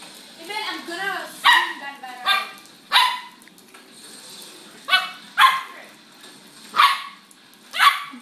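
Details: Pit bull and Lhasa Apso playing together indoors; sharp yipping barks come in short bursts every second or so, with a person calling and coaxing the dogs between them.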